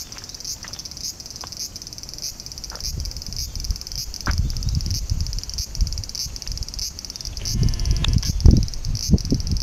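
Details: Bear cicada singing in summer heat during the school summer holidays, a shrill high buzz pulsing in steady beats about twice a second over a low rumbling background, with a few knocks toward the end.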